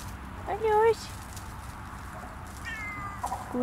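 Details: On a frosty winter sunset forest walk, a Siamese cat utters a short nasal meow, followed later by faint fainter calls, while a person talks encouragingly over steady outdoor hum.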